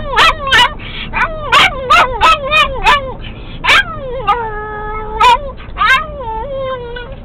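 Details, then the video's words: A pet dog singing with excitement once the car gets going, its voice likened to a turkey's gobbling: wavering, whining howls broken by sharp yips, pitch sliding up and down over several seconds, with low engine rumble beneath. "Pixie's Song"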